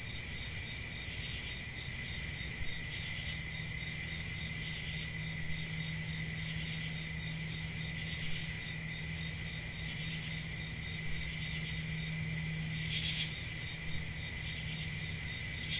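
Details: Night crickets in a country forest during summer produce a steady, even, high trilling drone; one sharp broadband click comes near the end, and a constant low hum runs underneath.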